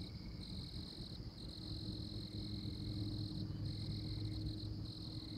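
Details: Oklahoma tree frog giving sustained high-pitched trilled notes that run for a second or more, then break briefly, with a low droning hum underneath.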